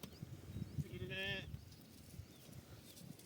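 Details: Sheep being treated for an eye ailment that leaves it unable to see, with heated neem leaves held near the eye. It gives a single wavering, nasal bleat of about half a second, surrounded by men's talk and outdoor rustling.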